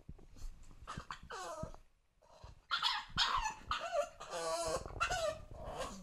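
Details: English Bulldog puppy, two months old, whimpering indoors to be let onto the sofa: clusters of squeaky, quavering whines and short yelps, a brief pause, then louder strained cries with snuffling breaths.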